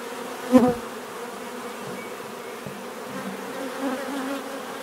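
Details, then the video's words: Steady hum of many bees, broken early by one bee flying right past as a sudden loud buzz, then the soft continuous droning carries on. "bees therapy relaxing natural buzzing sound"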